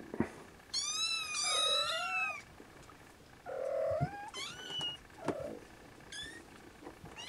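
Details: Siamese kittens trying to nap beside their mother Siamese cat, some unable to sleep and waking siblings; high, harmonic-rich meows, several overlapping long wavering cries then shorter rising mews, with softer lower mews between.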